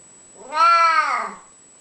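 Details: Spocky, an old, unwell pet cat who liked to come around and 'have a chat', gives one loud, drawn-out indoor meow, rising then sliding down, with rich harmonics, just after a person remarks he just about fell over.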